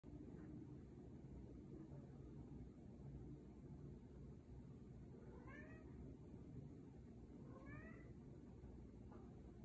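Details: Scottish Fold cat during mating, from Virginia: two short rising-falling harmonic meows around the middle and latter part, set against a steady low background hum.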